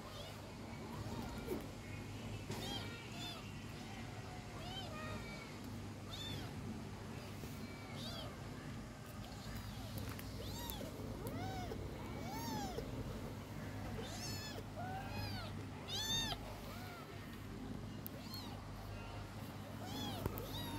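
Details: Several kittens meowing in overlapping high, arching cries, some short and rising, others drawn out and falling, scattered across the whole stretch over a low steady hum, with faint speech in the background.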